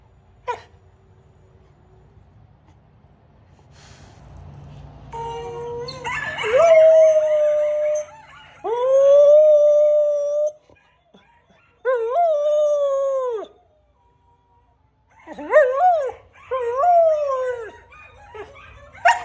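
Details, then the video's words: A male pet Samoyed howling. After about five quiet seconds with a faint click, a run of drawn-out, wavering howls follows. Each lasts one to two seconds, with sudden rises and falls in pitch, separated by short silences. "Samoyed Sings The Song Of His People"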